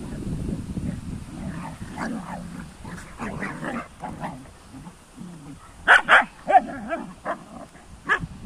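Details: Kuvasz dogs playing in the sun: low, rumbling growls and grumbles fill the first five seconds, then a handful of short, sharp barks or yelps burst out near the end.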